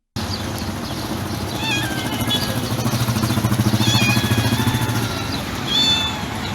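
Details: Calm, gentle white stray cat with yellow eyes and yellow tail, sitting beside trash cans near a building, giving soft, delicate high meows several times when meeting someone's gaze, over a steady low pulsing engine-like rumble.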